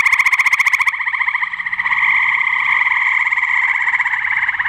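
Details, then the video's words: A male gray treefrog in Cuyahoga County, Ohio, on 30 May 2017, gives a loud, musical trill of rapid pulses, steady and ringing. "Male Gray Treefrog"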